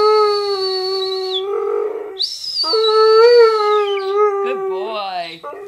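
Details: Rex, a family dog, holds two long, even howls, then breaks into shorter wobbling, dipping notes, with a high whistling tone above the first half.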